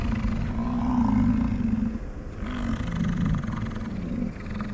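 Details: American bison during the rut on a morning around Grand Teton, Jackson Hole and Yellowstone, with chasing, fighting and mating; deep, drawn-out roaring bellows lasting about two seconds, one after another, low and rough, over steady outdoor background rumble.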